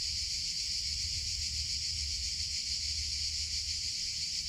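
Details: Summer cicadas keep up a steady, piercing buzz with gentle rhythmic throbbing, unbroken from start to end above a faint low-frequency hum.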